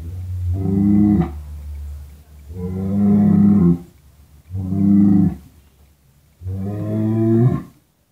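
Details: Cattle from the barns of Madura, Java and Sumatra, Indonesia: four deep, harmonic-rich moos, each about a second long, spaced roughly two seconds apart, over a steady low hum.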